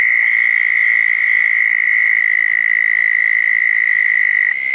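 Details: On a wet June night in 2014, southern toads call at two backyard ponds dug as habitat after a thunderstorm; a sustained, even, high trill runs without pause, ending with a slight drop.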